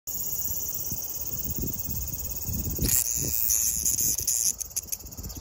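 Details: Large brown cicada recorded on 5 August 2021, a steady high sizzling buzz holding without pause, swelling louder near the third second with crackly bursts layered over it, low rumbling background noise underneath.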